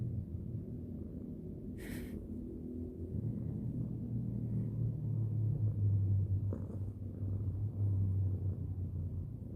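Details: Cat stroked before sleep, purring in a low steady rumble with slow breathing pulses, broken by a brief rustling click near two seconds and another faint click later.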